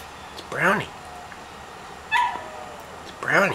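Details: A female dog at home calling for her canine friend who lives down the street: two rising-then-falling, strongly harmonic yowling calls, one at the start and one at the end. A faint falling tone sounds between them, and a person talks nearby.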